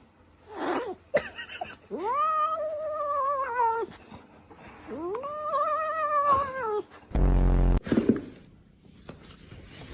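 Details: Cat giving two long, drawn-out meows, each about two seconds, swelling upward then sagging slowly in pitch, with a brief soft sound first and a sudden loud thump near the end.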